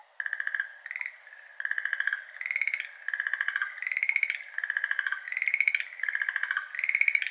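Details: Schlegel's green tree frogs, a species endemic to Japan, calling in May at 6:53 pm beside a flooded iris garden; dense rapid trilled croaks in pulsed bursts repeating about every half second, several frogs overlapping, binaural recording.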